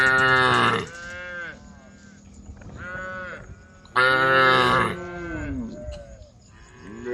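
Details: Tame cows in a group on a road calling the herd: loud harmonic moos open the clip and return near four seconds, with quieter overlapping moos from several animals between them.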